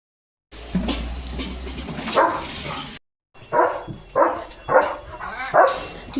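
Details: Pet German Shepherd Leo barking loudly: one bark, a brief cut, then four strong barks about half a second apart, with faint music and a human voice nearby.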